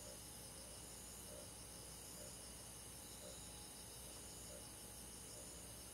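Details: Crickets with other forest insects on a summer night, a dense, steady high-frequency trill and intermittent soft lower pulses spaced about a second apart.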